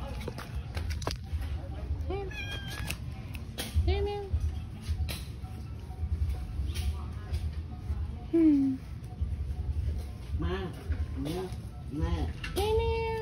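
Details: Cat at a pagoda, named Tei Tei, giving several short meows with rising-falling curved tones, mixed with people talking and background clatter.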